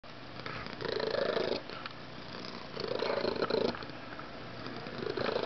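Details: Domestic cat, a male described as an unusually loud purrer, purring here less loudly than he can: a rough, rasping drone swelling and fading in breath-timed waves roughly every two seconds, indoors.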